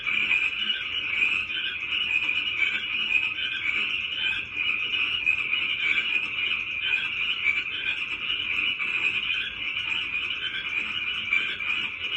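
A dense frog chorus, a steady high trilling drone from many callers overlapping without pause.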